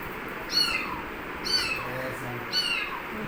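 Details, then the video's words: Kitten giving three short, high meows about once a second, each bright and slightly descending, with faint low sounds between calls. "hearing sound of baby cat"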